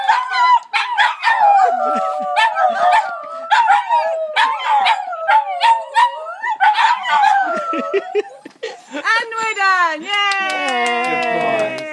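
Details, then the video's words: Three pet Border Terriers in St Albans howl together in a drawn-out chorus, wavering tones overlapping and sliding up and down, broken by short yips, ending in a long rising, quavering howl. "Border Terrier Symphony"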